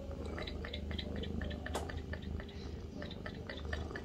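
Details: Domestic cat purring in a bathroom, a steady low throbbing rumble that runs unbroken through the whole stretch, with faint small clicks and drips above it.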